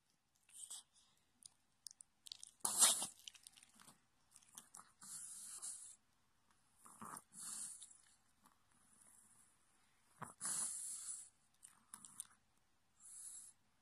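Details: A sleeping Chihuahua gives soft, breathy snores and wheezy snorts in irregular bursts.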